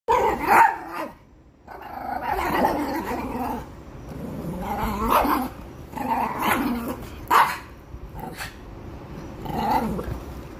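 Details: Chihuahua on the attack: sharp, yappy barks mixed with snarling growls, coming in uneven bursts roughly every second or two across about eleven seconds.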